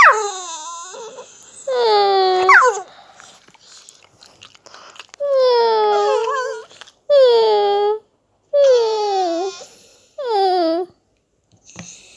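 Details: Staffordshire Bull Terrier making funny noises indoors in a small room: about six drawn-out yowling whines in separate bursts, each bending upward then sliding down, with short quiet gaps between them.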